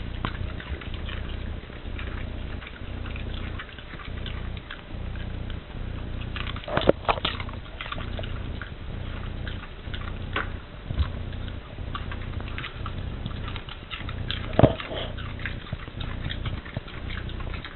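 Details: Indoor dog chewing a cabbage core it loves, eating piece after piece with crunchy noises; irregular brittle crackles and snaps, a few louder bites standing out, above a constant low droning hum.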